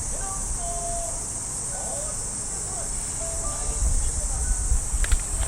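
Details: Unbroken high-pitched cicada buzzing from trees in a Japanese park at early morning in summer, with faint melodic radio calisthenics music and a voice in the distance and soft footsteps.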